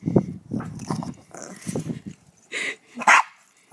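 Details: Coco, a dog searching for his ball in the snow, is urged on by a repeated human voice for the first two seconds, then answers with two quick, loud barks close together.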